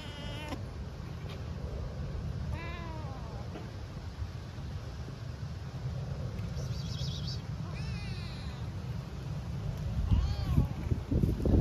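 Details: Homeless, hungry stray kitten on the streets of Istanbul meowing with a timid voice for food and affection; about four thin, wavering meows, each rising then falling, spaced a few seconds apart over a steady low wind-like rumble.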